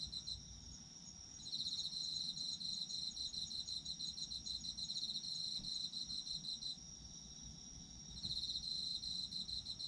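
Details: High rapid chirp trains from autumn insects begin after a quiet opening, run steadily, pause near seven seconds, then return, layered over a persistent shrill drone and low ambient noise.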